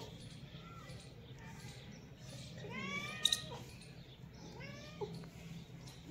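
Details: Domestic cats from a cat family with kittens; a faint meow near one second, then a louder drawn-out harmonic meow around three seconds and another shorter one near five seconds, against a low hum with a few clicks.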